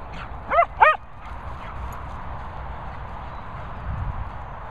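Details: Cocker Spaniels Daisy and Piper whizzing: two quick high yips with bright harmonics in close succession, then only a low background hum.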